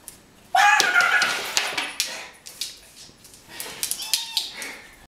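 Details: Rhodesian Ridgeback, 13 months old, indoors and wary while an orange is peeled; a sudden tonal whine with stacked harmonics opens, followed by rustling and sharp clicks, then a shorter, thinner whine near the end.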